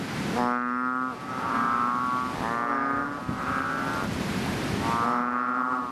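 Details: Loud calling of chubby frogs in a fishpond after rain: three drawn-out, buzzy, bleating moans, each about a second long, rich in overtones and following one another closely.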